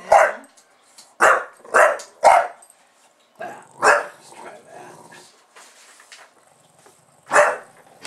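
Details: Bulldog named Buster goes to town barking once the camera starts recording, sharp gruff barks in quick clusters of three, then scattered single barks with quiet gaps and faint voices between.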